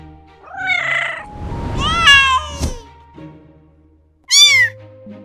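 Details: Kittens meow three times: a wavering first meow, a longer rising-then-falling second one, and a short high final meow. Soft steady background music plays throughout.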